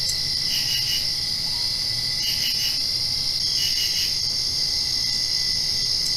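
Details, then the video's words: Post-rain night chorus of crickets, a steady piercing trill with three groups of fast stuttering chirps in the first four seconds, then only the even trill; faint low hum. "Crickets Chirping"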